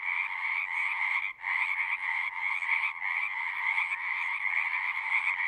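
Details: Dense chorus of many singing frogs, a steady overlapping trilling wash with two bright bands, one high and one lower, briefly dropping away for a moment near the start before resuming at full strength.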